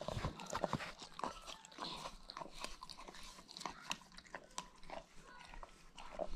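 A German Shepherd licks noisily, giving wet, smacking clicks and slurps in a quick irregular rhythm.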